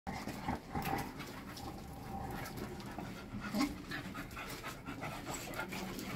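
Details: Five-month-old English Cocker Spaniel puppies recorded on 17 November, panting with rapid, breathy, uneven puffs over a continuous hiss, with a few soft thumps and faint handling noise.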